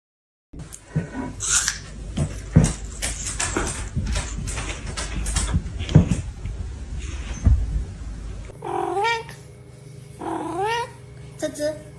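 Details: Domestic cat in snow, outdoors in winter; after several seconds of rustling and crunching noise, a few drawn-out arching meows come near the end, with a person speaking afterwards.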